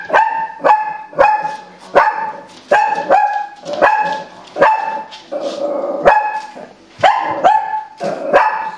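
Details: Female Shih Tzu, a pet, barking at animals on a television programme: a steady run of sharp, clear barks about every half second to second, each with a bright harmonic stack, with some softer whining between.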